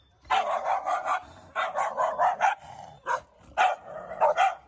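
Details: Barking on a chilly winter walk with Siberian Huskies near home in Ubon, Thailand, passing houses with other dogs; steady strings of loud, mid-pitched barks, about three per second, in several bouts separated by short pauses.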